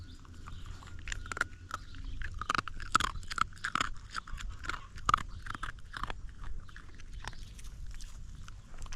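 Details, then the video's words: Hungry young dog gnaws its food up close, teeth crackling loudly; steady run of crisp crunching bites and scraping, some louder snaps standing out, over a low background hum. "A hungry dog's teeth crackle loudly."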